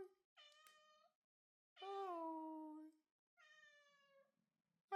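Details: A female Bengal cat on her second birthday gives three harmonic, nasal meows: a short one, then a longer, louder call that slides slightly downward, then a medium one, each about a second apart in a quiet room.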